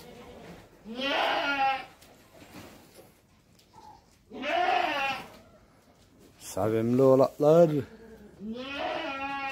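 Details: Young goat kids bleating: several wavering, harmonic bleats about a second long, separated by short pauses, with one deeper, broken bleat near the end. Human voices are heard faintly between the calls.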